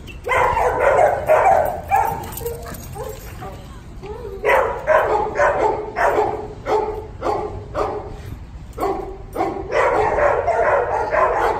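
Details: Puppy yapping in dense bursts, then a lull, then another rapid series of short barks about two per second, with possible voices in the background.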